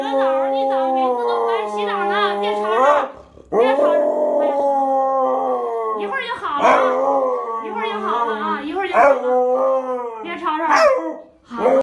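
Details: Siberian Husky, roused from daytime sleep, keeps up a string of long, wavering howls with short yips and pitch swoops, pausing briefly between phrases.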